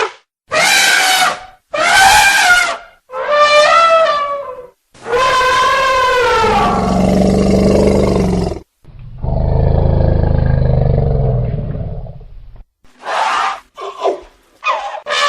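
Elephants trumpet in loud, brassy blasts, followed by a deep, throaty rumble.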